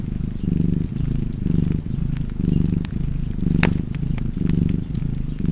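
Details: Cozy cat purr, a low pulsing drone rising and falling about once a second with each breath, with scattered fireplace crackles and one louder snap near the middle.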